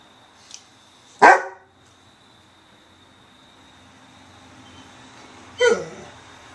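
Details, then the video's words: Weimaraner dog indoors, barking when ignored: two sharp barks about four seconds apart, the second trailing into a short falling whine, with a steady high electronic hum behind. "Don't Ignore a Weimaraner"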